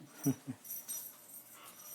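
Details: Two littermate puppies, white Roo and black Cupid, known as the Christmas puppies, wrestle in play; two short, low grunting growls come a quarter second apart, then soft rustling and quiet.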